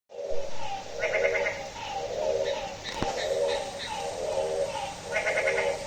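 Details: At midnight on a rainy day, a frog gives nasal, goat-like bleating calls, repeated about once a second over steady rain.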